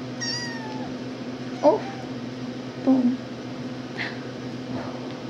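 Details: RagaMuffin kittens, ten and a half weeks old, indoors just after waking from a nap: a thin high mew sliding downward, then two short meows about a second apart and a faint later cry, with a woman talking softly.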